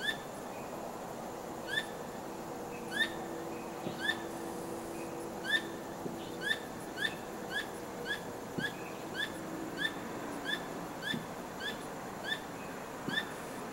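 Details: A squirrel calls loudly at night, tail wagging, not caught in anything. It gives a long run of crisp, metallic chirps, speeding up to several per second midway, over a continuous hiss and a faint low humming drone.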